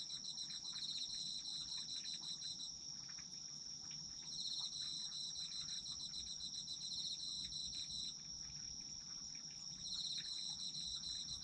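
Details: Autumn insect chorus for sleep: a sustained piercing trill joined by stretches of fast pulsed chirping that stop and restart every few seconds, over a quiet rumbling background.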